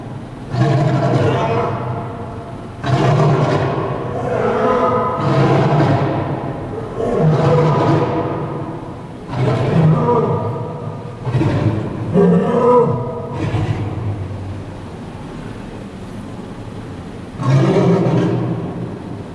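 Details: A lion and a lioness at the Henry Doorly Zoo roar in deep, rumbling bursts, each lasting a couple of seconds and repeated with short pauses.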